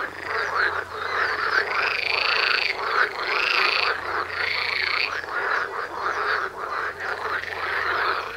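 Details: Frog chorus recorded in the wild right outside a front door, a loud overlapping mass of croaking calls with many voices, repeated pulsed notes and some longer drawn-out trills, continuous throughout with no other clear sounds.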